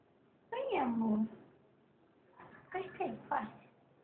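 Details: Pet cat named Olivia indoors in a small room, amid presents being unwrapped: one drawn-out meow falling in pitch, then a few short, softer mews a second later, with a woman speaking Portuguese nearby.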